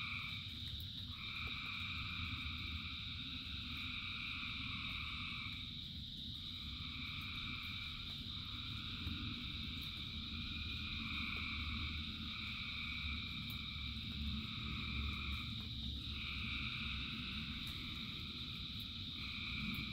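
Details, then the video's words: In rainfall, a massed frog chorus of thousands sings steady overlapping trills. A mid-pitched voice cuts in and out in bursts a few seconds long, all above continuous low rain noise. "Frogs in Rain 2 Hours of Frogs, Thousands of Frogs Singing"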